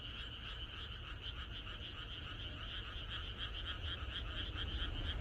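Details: Many frogs croak together in a rural night chorus ahead of expected rain, a steady stream of fast, overlapping pulsed croaks over a strong low-pitched background rumble that grows louder toward the end.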